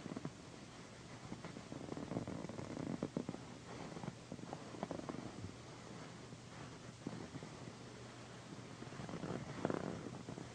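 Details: Domestic female cat purring loudly while being massaged indoors, a continuous low rumbling purr with soft rustling and scratching of a satin pillow throughout.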